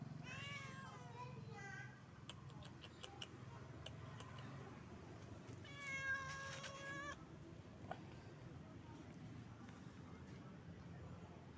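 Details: A male stray cat living on the street gives a few short, falling meows at the start and a longer, steadier mew a little after the middle, over low background hum and faint clicks, with a person speaking quietly.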